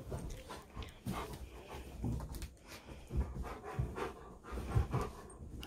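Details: Shadow, a German shepherd, sprawls on his owner's bed indoors, panting steadily in low, breathy rhythmic puffs, with soft rustling of bedding throughout.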